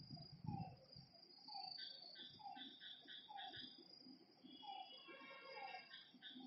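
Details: Frogs calling at night by a lake: short, slightly falling mid-pitched notes repeated about every second, with a bright stacked trill near the end, over a constant high insect buzz and lower scattered croaks.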